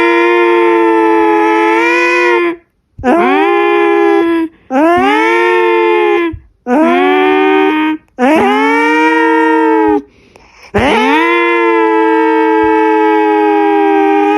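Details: Jinjin, a pet cat likened to a real alarm siren, howls in long sustained rich-toned wails of about two seconds each, six in a row separated by short silences, in a quiet indoor setting.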